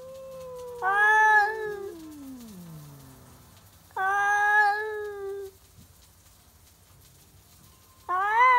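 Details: Stray cats in a midnight standoff over a backyard, each warning the other off: three loud drawn-out yowls separated by quieter gaps, the first ending in a long falling moan, the last starting abruptly.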